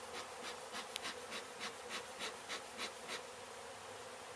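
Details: Honey bees swarm loudly during removal of a hive hit by demolition crews at an abandoned Mission, Texas home. A thick, hissing drone pulses softly about three times a second throughout.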